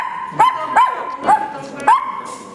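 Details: A two-month-old female puppy, apparently complaining that her playmate got more attention, lets out four sharp, high yipping barks, each sliding upward in pitch, spaced roughly half a second apart, with a faint voice in the background.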